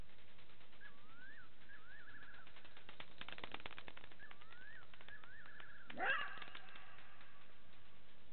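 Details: A side-striped jackal (Canis adustus) calls at 02:27 on 15 September 2018 at Gowrie dam waterhole, Djuma Game Reserve, Sabi Sand, South Africa, giving a sliding yelp that breaks into a quavering wail, repeated twice.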